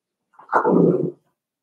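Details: In Daisy's indoor puppy pen, a five-week-old Cavalier King Charles Spaniel puppy lets out one loud, rough, harmonic yelp lasting about half a second, with nothing else heard.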